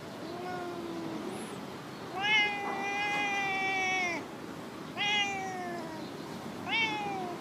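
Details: Chatty female stray cat in a park car park, meowing as usual: a long, clear, bright meow followed by two shorter, falling meows, each rich in harmonics, over a faint outdoor hiss.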